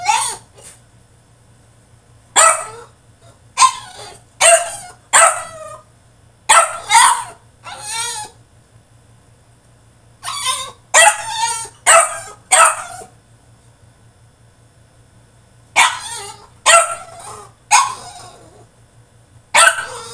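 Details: Male French Bulldog throwing a tantrum in his cage: bursts of sharp, high yipping barks in quick clusters of three to five, separated by short pauses, repeated across the recording in a quiet room.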